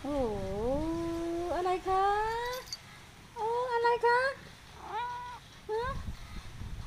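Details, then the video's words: Sky, a pet cat, being affectionate and asking for attention, gives a run of drawn-out, wavering meows. The first is long and bending, then several shorter rising-and-falling cries follow one after another, with quiet gaps between them. "สกาย อ้อนเก่งนะคะ ทาสแมวส่งเสียงแนจ้า"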